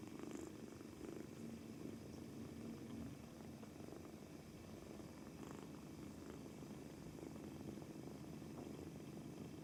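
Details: Two-month-old male British Shorthair kitten on its first day in a new home, purring continuously, apparently from nervousness, while kneading; a steady low rumbling drone with faint soft clicks, quiet indoor setting.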